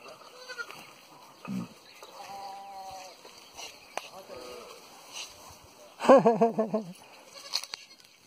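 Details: Pahadi goat in a village in Pauri Garhwal, giving a wavering, quavering bleat near the end, preceded by fainter bleats and short sounds, with quiet background.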